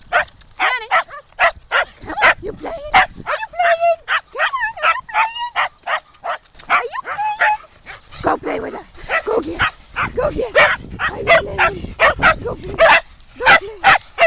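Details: Female foster Shetland Sheepdog, fitted with new leg braces for rehabilitation, playing at a farm alongside other dogs; rapid bursts of high, sharp yapping barks and yips, irregular, about eighty a minute, with faint human voices.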